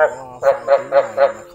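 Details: Chinese edible frog (Hoplobatrachus rugulosus), a rice field frog, gives deep, throaty croaks about four times a second. It is a mating-season call to females, and the frogs also fight over territory; the recording is played to lure frogs, including at night.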